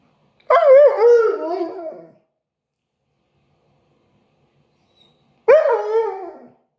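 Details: Siberian Husky, a "talking" dog, gives two wavering, yodel-like vocal howls, each rising then bending up and down in pitch, about one and a half seconds long and separated by a silent pause; nothing else heard.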